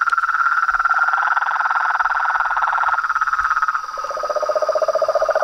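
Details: Frogs, toads and treefrogs at a pond at dusk form a noisy chorus: rapid pulsed trilling, one voice stopping and a lower, coarse rattling trill taking over toward the end, with faint low thumps.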